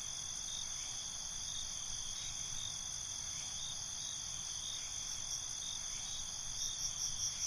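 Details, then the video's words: Nighttime cricket chorus forming a constant high shimmering trill with no clear individual chirp bursts, a few faint higher notes near the end, and low background hum. "Night ambience, Cricket Conversations"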